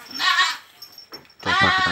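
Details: Fullblood Boer goat kids, about 110 days old, in a pen at Boerkah Jaya farm, Blitar, Indonesia: two wavering, nasal bleats separated by a short pause, with faint background rustling.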